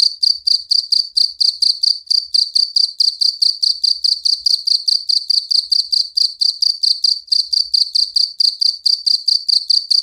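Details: Cricket chirping loudly at night, a dense, even run of rapid, high-pitched pulses that repeat without pause from start to finish.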